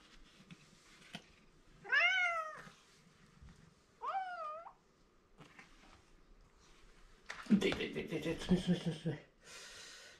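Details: Male domestic cat indoors, meowing for attention from an owner he likes: two loud, drawn-out meows that rise then fall, about two seconds apart, followed by a person talking and rustling noise.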